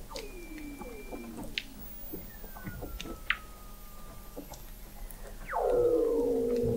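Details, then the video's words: Weddell seals under the sea ice of McMurdo Sound, Antarctica, recorded November 2017 by an observatory 21 m below: soft falling whistles and clicks, then a loud downward sweep settling into a steady harmonic tone. "Song of the Antarctic Weddell Seal"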